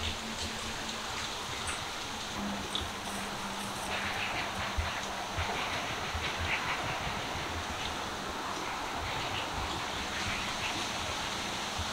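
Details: A constant broad rushing hiss, like rain or flowing water, fills the recording, and no animal call stands out.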